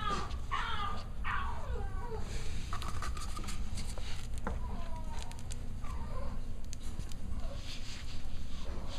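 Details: During playtime, six-week-old Cavalier King Charles Spaniel puppies give two bright, descending whimpers in quick succession, followed by fainter scattered squeaks, with clicking paws and rustling throughout.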